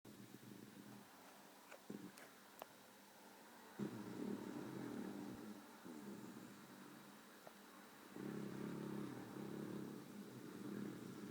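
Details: Female beagle asleep and twitching, snoring in low, rough breathy rumbles; long drawn-out snores come in broad surges lasting two to three seconds, separated by quieter stretches, with a few faint clicks and a steady low background hum.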